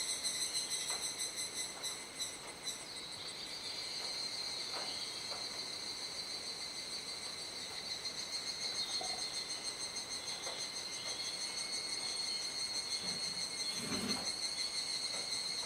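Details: Cicadas in a loud dusk chorus in Kuji, Iwate, Japan, mid-July in the rainy season, gradually quieting as the sky darkens: continuous high shimmering buzz with stacked tonal bands, a brief louder scratchy burst near the end, faint background noise.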